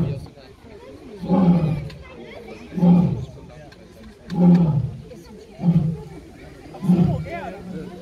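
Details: Lion giving a run of deep, grunting roars, short heavy pulses repeated steadily about every one and a half seconds, each rising sharply then fading.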